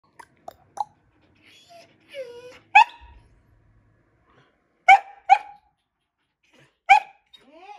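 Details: Pet Samoyed barking in a high, puppy-like voice; a few short, sharp yips and barks separated by pauses of one to two seconds, with soft whines and breathy sounds between them.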